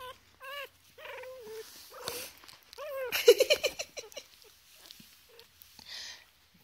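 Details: Playing Chihuahua puppies, three weeks old and in foster care: a run of thin, rising-and-falling whines and squeaks in rapid succession, with a woman's voice speaking softly over them and faint rustling.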